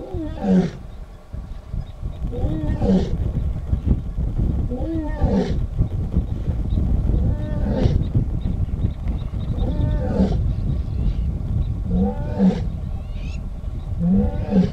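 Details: Lioness in the Northern Serengeti calling for other members of her pride: a series of deep, moaning roars repeated roughly every two to two and a half seconds, each with a rising grunt, over steady low rumbling background.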